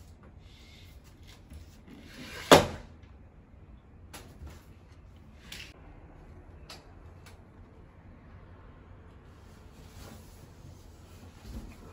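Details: Quiet indoor room with one sharp knock like a cupboard closing, a few faint door-like thuds and low background hum.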